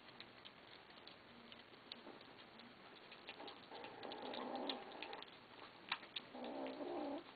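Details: Kittens growl at one another as they eat, having begged for food; two rough, rumbling growls, the first lasting about two seconds, the second shorter near the end, with scattered clicks and eating sounds between.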